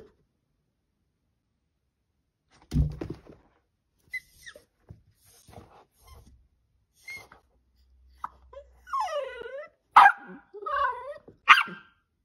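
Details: Dachshund whimpering and yipping indoors, short rising-falling whines with harmonics clustered near the end, separated by quiet gaps and a few soft knocks.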